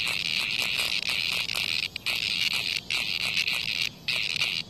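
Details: Cicada being attacked by a hornet in front of a house, giving a high rasping buzz in rough bursts about a second long separated by short silent breaks, with scattered clicks over the top.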